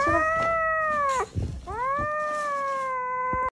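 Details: Indoor pet cat protesting as someone reaches for its corn: two long, sustained moaning yowls, the first falling off at its end, the second rising then holding level, separated by a brief pause with faint rustling.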